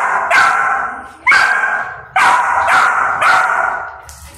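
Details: Mother dog disciplining a disrespectful golden retriever puppy, teaching it calm behaviour. Loud, harsh barks come roughly every second, with ringing overtones and a low rumble between them.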